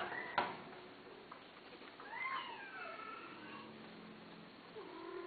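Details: Cat offered for sale gives a sharp click, then a drawn-out meow that rises and falls, followed by softer, lower moaning calls in a quiet indoor room.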